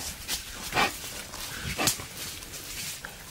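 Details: Wild boar, a male courting a female in the wild, giving a few short harsh squealing snorts spaced irregularly over three seconds against a faint background hiss.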